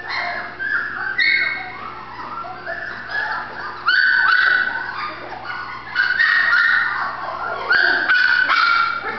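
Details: Female Golden Retriever puppy, Terrell, Texas, whining insistently in long, high, slightly wavering tones broken by sharp little yips, several loud bursts over nine seconds.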